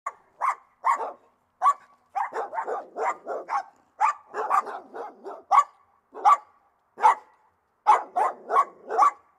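A dog barks in quick, sharp bursts, some single and some run together in rapid strings.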